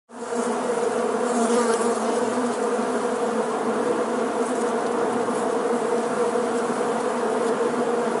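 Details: Honey bees in the hollow heart of a tree, a dense, steady colony hum with a strong low drone and broad hiss, unbroken and even in loudness throughout.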